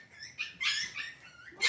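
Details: Cavalier King Charles Spaniel puppies indoors on a kitchen camera, cloudy Monday morning, whimpering in a string of short, high-pitched squeaks with a thin whining tone, ending in a louder rising squeal; a quiet room hum sits beneath.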